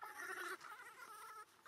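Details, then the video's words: Abandoned monkey crying while clinging to and hugging its owner's feet; a tonal, whimpering wail with stacked harmonics for about half a second, then a fainter, thinner drawn-out whine. "Un pobre mono abandonado llorando abrazando los pies de su dueño"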